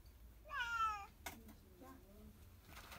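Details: Hungry female cat that walked into a store meows for food; a single drawn-out, slightly falling meow lasting about half a second, followed by a person speaking Turkish in a quiet indoor space.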